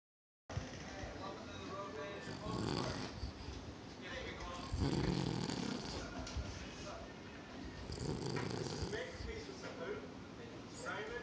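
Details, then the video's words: A sleeping Bichon Frise snoring: rough, breathy low rasps in uneven bursts, the loudest swelling around the middle, with people talking in the background throughout. "Snoring woof"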